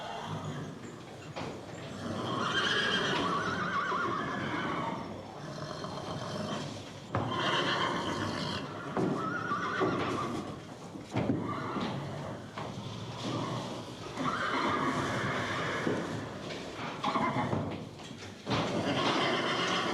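Horses neigh again and again, each whinny a loud, wavering squeal that falls away in a shudder. Softer breathy snorts and blowing sighs fill the gaps, with a few hoof knocks in the background.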